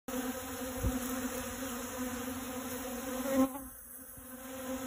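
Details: Western honey bee collecting pollen from dragon fruit flowers: a steady, low hum of wingbeats, droning evenly before cutting off abruptly.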